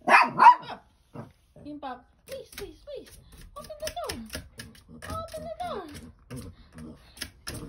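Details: Toy Poodle crying while scratching at a door: thin, drawn-out tonal whines that slide downward, several in the middle of the stretch, with people talking over them and light tapping and scratching sounds.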